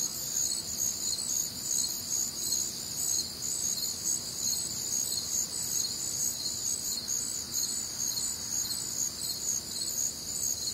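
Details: Nocturnal crickets trilling together on a humid summer night in the American Midwest, several high, ringing tones stacked above one another, throbbing continuously without a break over soft low rumble.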